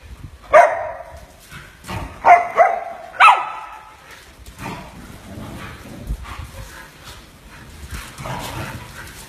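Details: Samoyed during playtime and zoomies gives four sharp, high barks in the first four seconds, two of them close together. Softer scuffling and rustling noise follows.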